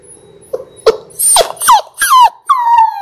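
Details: Six-week-old Labrador Retriever puppies from a litter of six born January 18, 2022, on a live puppy cam, giving a quick series of high whimpers and yips, each sliding downward in pitch, several in three seconds.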